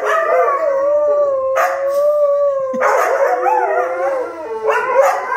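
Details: A group of Siberian Huskies howls together as a "choir" in long, wavering, overlapping tones that slide up and down.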